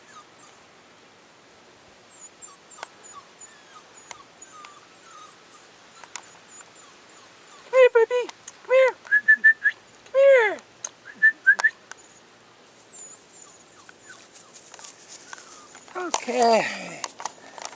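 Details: Belle's puppy Blue at day 42 gives a run of short, high, arching whines and yelps in the middle, then a burst of overlapping squeals near the end; quiet rustling stretches in between.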